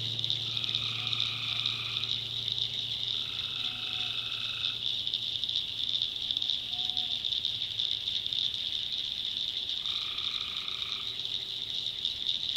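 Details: Tree frogs at night in the backwoods of North Carolina: a shrill continuous chorus broken by repeated longer mid-pitched calls, each about a second long, spaced several seconds apart, over a soft low hum.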